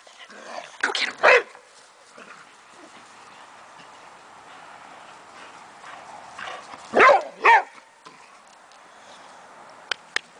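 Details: A 9-year-old Boxer in a backyard with a 12-year-old foster sister barks in sharp, loud pairs, with a person's voice urging it on between barks.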